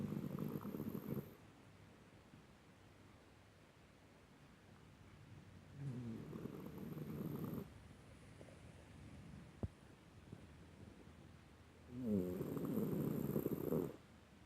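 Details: Nineteen-year-old miniature dachshund asleep, snoring softly: three low, rough, breathy snores, each a second or two long, spaced about six seconds apart, with quiet breathing in between.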